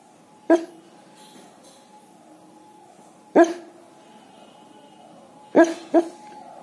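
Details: Sleeping dog, a K9, barking in its sleep in reaction to a police car siren; four short sharp barks at about 0.5, 3.4, 5.6 and 6.0 seconds over a faint steady tone and quiet background.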